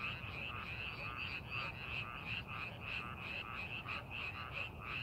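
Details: Frogs in a rice paddy during farming preparation give a dense, rapid series of rasping croaks, nearly three a second, overlapping constantly above low background noise.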